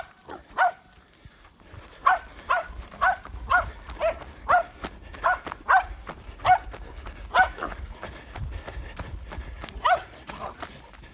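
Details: Patterdale Terrier puppy, seven months old, holding a boar hog at bay in Florida in August 2019. Harsh barks come in quick runs of about two per second, with short pauses between bursts.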